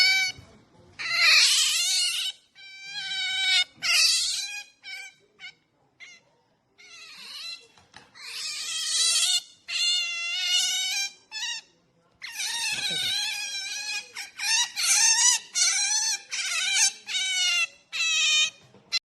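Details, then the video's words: Female pet otter protests as her male owner tries to touch her, giving bursts of shrill, wavering squeals and chirps, some clustered rapidly, others spaced by short pauses. "makes noise when daddy try to touch her🤣🦦"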